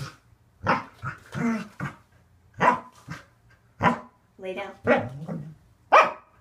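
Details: Waffle, a male Corgi, yaps during an unedited home training session of tricks and conditioning exercises. Short harmonic barks come in uneven bursts, one or two a second, mixed with a person giving commands like roll over and lay down.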